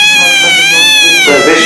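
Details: Loud, sustained kitten meow, strongly harmonic and wavering slightly in pitch, ending in a harsher, breaking tail.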